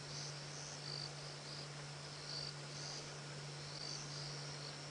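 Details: Crickets at night during a safari drive on 27 September 2016, not chirping as loudly as usual; high, short chirps come irregularly over a steady low engine hum.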